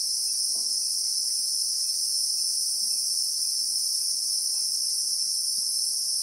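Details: Relentless, even, high-pitched droning of Christmas beetles (Anoplognathus) in acacia bushveld, South Africa, captured in real time, with only a few faint soft ticks below the steady buzz.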